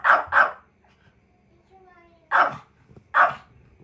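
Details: Kohaku the Chihuahua barks angrily to hold back the daughter it adores as someone heads back to the room; paired sharp barks, a pause with a faint whining voice, then two more barks.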